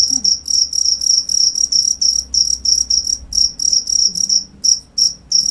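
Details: Close cricket chirp: rapid high-pitched pulses grouped into short bursts, roughly three per second, ringing sharp and metallic over a quiet low background hum.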